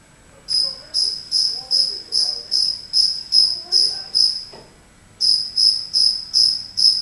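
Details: A cricket that wandered indoors into a house chirps loudly in a high, clear, pure-toned pulse repeated about two and a half times per second, pausing once for under a second before resuming; faint low murmur beneath.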